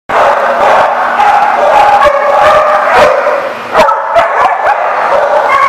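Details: Several dogs barking together, recorded on 7 July 2014; dense, overlapping sharp barks and yips repeat several times a second over a constant din, with a brief lull before a louder burst near the end.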